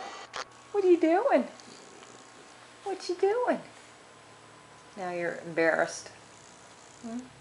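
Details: Roxy, a chatty pet dachshund, indoors during her morning antics, gives bursts of moaning, yodel-like grumbles that swoop up and down, roughly every two seconds, while a person talks to her nearby.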